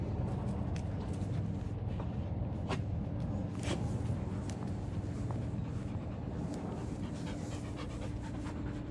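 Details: Loud, close heavy panting after a sports day of five large dogs (Samoyed, Newfoundland, Great Pyrenees and Samoyed × Great Pyrenees mixes): fast rhythmic huffing, roughly four breaths per second, deep and throaty, with occasional sharp clicks.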